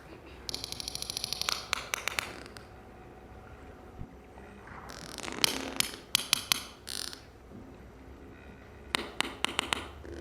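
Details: A sperm whale family group trades bursts of sharp, dry clicks in rapid, patterned series, recorded by Project CETI as the whales' conversations.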